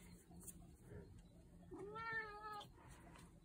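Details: A cat met in the Swiss Alps gives a single clear meow lasting under a second, rising and then gently falling in pitch, against a quiet background.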